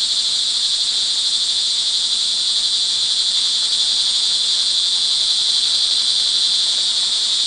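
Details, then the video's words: Many crickets trill together during evening rain in Montalban, Rizal, Philippines, June 24, 2011, making a continuous bright, high buzzing wall of sound with no pauses and an even level. "sound recording of crickets in the rain"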